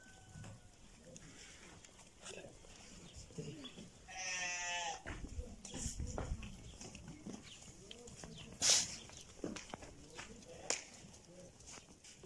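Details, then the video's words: Lamb on sale in Settat province, Morocco, lets out a single quavering bleat lasting roughly one second, among knocks, shuffling, a sharp bang and people talking nearby. "خرفان زوينين"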